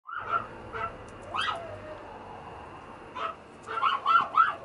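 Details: A red female teacup poodle whimpers in short, high, whining yelps, some rising and falling, coming in small bursts with brief quiet gaps and ending in a quick run of three or four whines.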